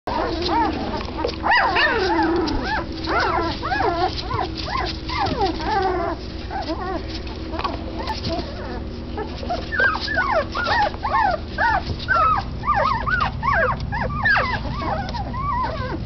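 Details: Doberman Pinscher puppies about 12 days old from Xena's litter, born September 2, 2012, whimpering together: a dense chorus of thin, arching whines and squeaks that overlap continuously, with short rising-falling cries repeated rapidly and a steady low hum underneath.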